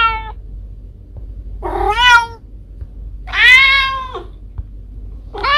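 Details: A mother cat calls her kittens with short, bright meows; a clipped note, then two longer rising-falling cries, the last cut off at the end, against faint low background hum.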